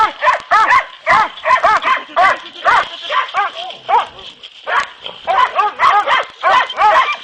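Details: Dogs named Kopoy and Barak in boar-hunting training bay continuously, with dense, overlapping, tonal barks rising and falling in pitch, rhythmic and excited, with hardly any gaps over several seconds.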